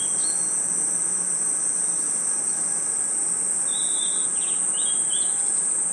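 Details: Crickets in a forest at night sound one continuous, high, unwavering trill, joined by faint short bird chirps at the beginning and a few quick, lower whistled notes in the second half.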